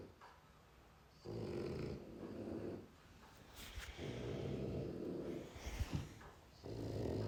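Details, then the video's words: Dog asleep indoors, snoring in low raspy rumbles that swell for about a second and a half, separated by brief quieter breaths, with a faint rustle near the end. "Who like this snoring?"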